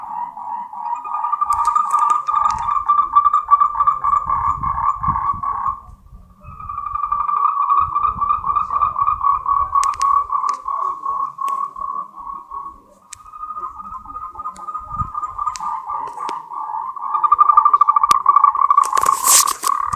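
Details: Moltrecht's green tree frog, a species endemic to Taiwan, giving its mating call: long bouts of rapid, rattling pulsed croaks at a steady mid pitch, broken by two short pauses, with faint low rumbling and a sharp burst near the end.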